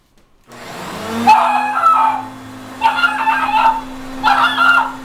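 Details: Dog barking at a running vacuum cleaner, whose steady hum runs throughout; three loud, harmonic barking bursts come about every one and a half seconds over the machine drone.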